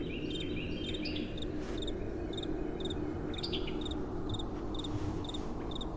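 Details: Crickets at night with soft wind blowing: high short chirps repeat steadily, joined early by a few lower sliding tweets, over an even background rush of wind.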